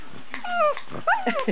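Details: A pug lets out brief, tonal howls that bend downward like whining cries, apparently disliking it as her Australian Shepherd sister pops bubble wrap, making crisp snapping pops between the notes.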